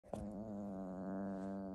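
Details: Male pet cat growling while refusing to give up his favourite toy as his owner tries to take it; one steady, low, droning growl with a rich buzzy tone, held evenly for almost two seconds after a brief click at the start.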